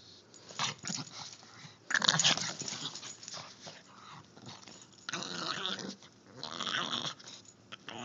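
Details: Three-year-old pug making weird noises: raspy, wheezy snorts and snuffles in noisy bursts, loudest near the two-second mark and again from five to seven seconds, with quieter snuffling between.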